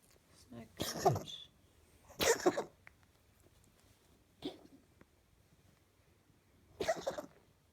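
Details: Domestic cat having a coughing episode at night, an odd recurring problem; four separate harsh, broadband hacking bursts roughly every two seconds, with a woman speaking softly to the cat in between.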